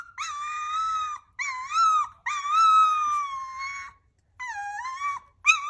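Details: Hungry puppies giving long, steady high whines in four separate bursts of one to one and a half seconds, divided by brief silences, in a quiet room.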